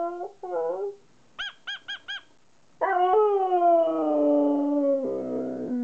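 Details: Siberian Husky Kai answering its owner: a short whine, four rapid yips, a pause, then a long howl that slowly slides downward and fades into a lower moan.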